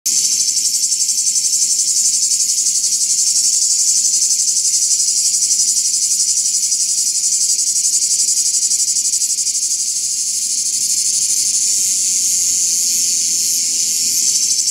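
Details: Cicadas in Greece in summer, calling to communicate with other cicadas: a dense, continuous high-pitched buzzing drone with steady rapid pulsing, holding unbroken at a constant loudness throughout.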